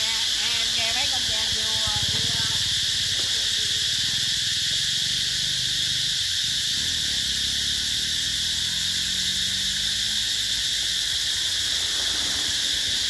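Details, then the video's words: Cicadas calling in summer at the Mỹ Luôn eco-tourism site in 2021: a dense, unbroken high-pitched buzzing drone holds steady throughout, while human voices talk quietly underneath, clearest in the first few seconds. "tiếng ve gọi hè"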